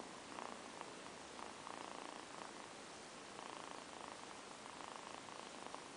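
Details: Two kittens, Amber and Zafir, napping together after a long play session, purring softly; the low rumbling purr comes in steady bursts of about a second each, separated by short pauses, over a constant hiss of background noise.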